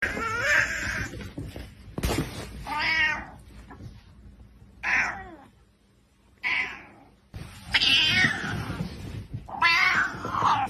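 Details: Domestic cat in a funny pet compilation, giving a run of loud, drawn-out meows and caterwauling wails in separate bursts with short silent gaps, some calls rising then falling, a faint steady hum underneath.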